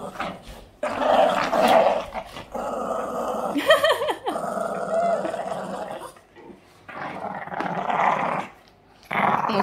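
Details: Yoda, a pet Boston Terrier, growling while playing, a habit he often shows in play; long rough rumbling growls run in bursts with short pauses, mixed with a few higher yelping whines and a woman's voice speaking Hungarian.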